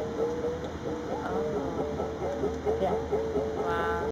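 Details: A male walrus during a training session at Point Defiance Zoo gives a sustained, wavering tonal call that changes pitch as he moves, with people talking over it.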